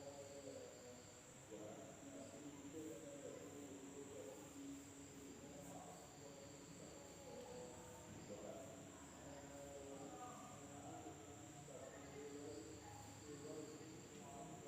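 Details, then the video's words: Village night in Indonesia: a continuous, shrill insect buzz holds steady at a high pitch, with a softer upper tone and repeated low warbling bursts beneath. "the sound of insects at night in the village of Indonesia SUARA SERANGGA MALAM HARI"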